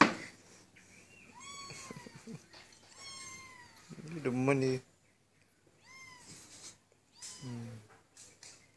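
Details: Kitten massaging a dog indoors, giving clear rising-then-falling harmonic meows around 1.5, 3 and 6 seconds, with a louder strained cry near 4.5 seconds; people talk throughout.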